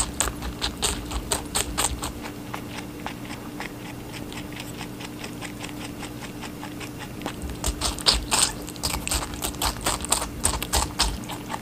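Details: Pet rabbit munching on watermelon indoors: quick crunchy chewing around four bites a second, bursts louder at the start and near the end, a low constant hum behind.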